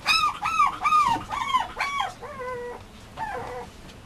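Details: Young male Mame Shiba at a breeder whimpering: several loud, falling, arched whines, then two softer, flatter drawn-out cries fading away.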